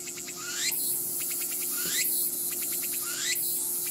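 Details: Tsukutsuku-boshi cicada (Meimuna opalifera) singing: repeated phrases of rapid pulses, each closing with a rising sweep, about every 1.3 seconds, over a steady high buzzing background.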